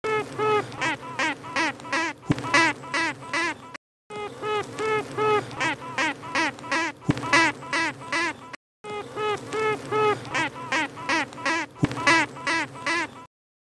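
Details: Western honey bee (Apis mellifera), queen piping: queen announcing her presence to the hive and gaining acceptance.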